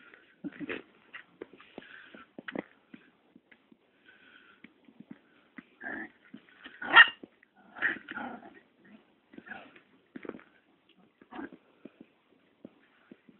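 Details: Two Chihuahua puppies, Ruby and Erick, recorded on 26 September, on a Dirty Paws Day. Short growling and yipping bursts come in scattered clusters with quiet gaps, loudest around the seventh and eighth seconds.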